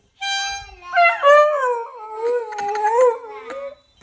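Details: Beagle howling along to a young girl's harmonica: a clear harmonica note opens, then a sustained wavering howl rises and dips for about three seconds while the harmonica sounds alongside.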